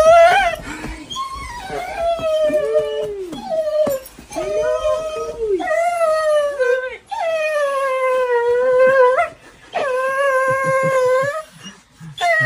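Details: Dog indoors, reluctant to go to preschool, howling in long sustained wavering tones that swell and fade, several drawn-out howls in a row with short breaks, a person talking softly in between.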